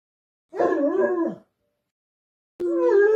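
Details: A male Weimaraner throws a fit for attention, giving two drawn-out, wavering howls separated by a short silence.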